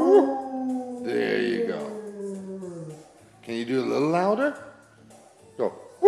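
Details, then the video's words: Pet dog singing for its owners on request, a drawn-out wavering howl with stacked tones sliding downward, then a second rising and falling howl; a woman's voice encourages it between phrases. "The singing dog"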